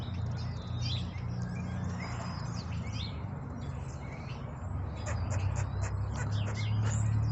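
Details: Squirrel yelling and scolding a Blue Russian cat named Sassy outdoors in Phillipsburg, New Jersey; rapid, sharp, clicking chatter bursts, loudest and most regular in the final seconds, over a steady low rumbling background.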